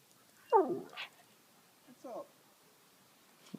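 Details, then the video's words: Pet Siberian Husky being chatty and making silly noises: a loud, drawn-out yowl sliding downward with a quick upward squeak, then a softer, shorter wavering call about a second and a half later, and a faint click at the end. "My Husky makes strange noises!"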